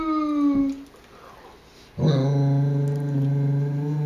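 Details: Female Great Dane moaning as she sings along with her owner: a brief held tone fades out, then after a quiet gap a long, low, steady droning moan sustains to the end.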